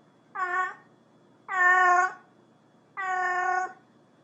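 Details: Cat calling another cat with three sustained, steady meows, the last two longer and flatter, spaced about one and a half seconds apart; faint low hum underneath.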